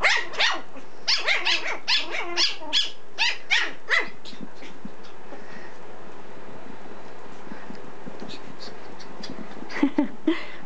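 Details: Two 10-week-old Pomeranian puppies, a boy of 700 g and a girl of 600 g, play together indoors: a quick run of about ten sharp, high yaps in the first four seconds, quieter scuffling after, then a few more yaps near the end.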